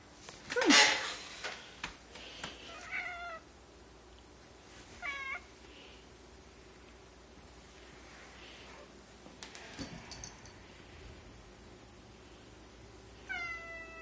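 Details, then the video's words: Indoors, two female domestic cats growl their disdain at a new kitten in the household; three brief, harmonic-rich complaining calls are spaced several seconds apart, with a sharp rustle at the start and quiet room noise between. "growling at the kitten"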